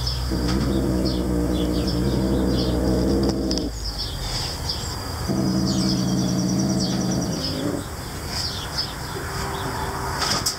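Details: Guarding his sparrow, the cat Noodle growls at whoever tries to take it. Two long, low, throaty growls of about three seconds each, then a softer rumble, with birds twittering in the background.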